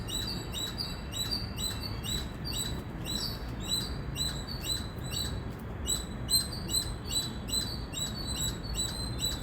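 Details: Indian squirrel giving loud, sharp high chirps repeated steadily about twice a second, each note with a bright overtone above, over a constant low background hum.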